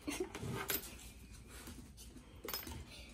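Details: Soft clinks of dishes and cutlery in a small room, with faint low murmuring in the background.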